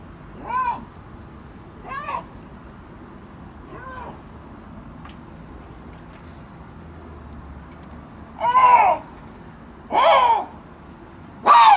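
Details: A Siberian lynx at Hamura zoo calls with six short, tonal, meow-like cries that rise and fall, each about half a second long, at uneven intervals. The last three are louder and harsher.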